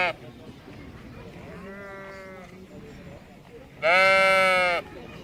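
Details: Sheep bleating: a quieter, drawn-out, steady-pitched bleat lasting about a second, a pause, then a much louder, harsh, rich bleat of similar length near the end, over a constant low background hiss.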